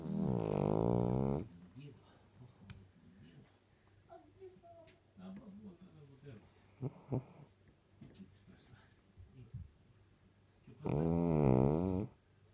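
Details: A sleeping dog snoring as loud as a KAMAZ truck: two long, rasping, droning snores of about a second and a half each, one at the start and one near the end, with quieter breathing and faint noises between.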